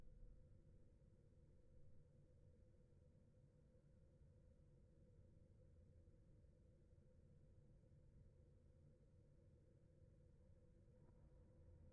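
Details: Only a low, steady hum and rumble, like distant engine or room noise, with no animal calls.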